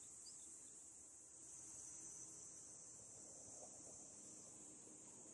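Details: Cicadas singing in summer from a park with a dam view in the Japanese countryside close to Tokyo: a continuous shrill whine, unbroken and even, over a soft murmur of lower background noise.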